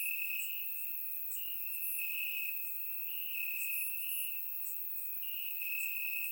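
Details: Warm summer night in Bulgaria, crickets in grass: a piercing steady trill alternates between louder and softer phrases about every second, backed by bright high chirps from a wider chorus.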